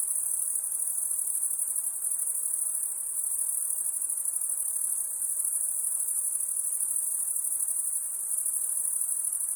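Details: Crickets at night, a steady high-pitched shimmering trill that runs unbroken for the whole stretch with a slight pulsing texture, over a faint low hiss and no other animals.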